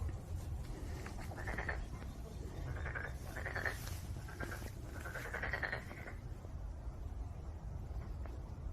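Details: Black-spotted pond frog of lowland rice paddies giving short rattling croaks in bursts of about half a second, several in a row, over a steady low rumble of background noise.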